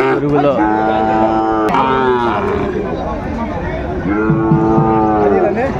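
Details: At a Kurigram cattle market in Bangladesh, 22 March 2025, where Sahiwal bull calves are bought and sold. Two long, steady, rich moos, one opening the clip and another near the end, sound over crowd chatter and men's voices.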